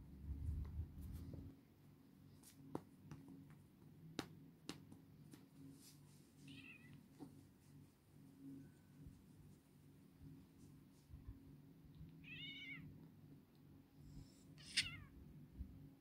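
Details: Pet cat meowing three times at intervals of several seconds, each call a short wavering cry that rises then falls, against a constant low background hum and scattered sharp taps.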